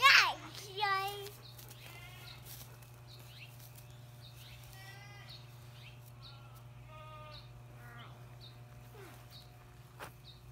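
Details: A female LaMancha kid named Sis, from a dairy herd in Willard, Utah, playing on hay bales with a young boy: a loud, steady, nasal bleat opens the clip, followed by fainter wavering bleats around five and seven seconds, with a child's voice.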